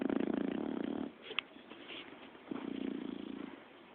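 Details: Five-month-old puppy asleep and snoring: two raspy, fluttering snores, each lasting about a second and separated by a soft pause with a small click.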